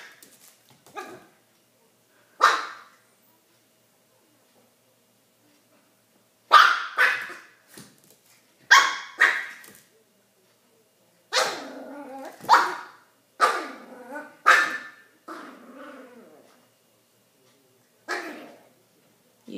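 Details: Pet dog Odie, having discovered he can bark, takes on his new red toy: sharp single barks and short clusters separated by silent gaps, several coming in rapid pairs near the end.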